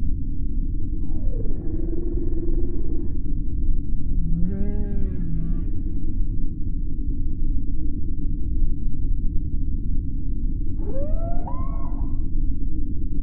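Beluga whale giving three separate tonal calls, drawn-out, wavering and rising squeals, over a steady low underwater rumble.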